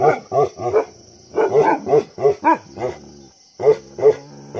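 A Bhotia dog barks heavily in quick bursts of two or three deep, rough woofs.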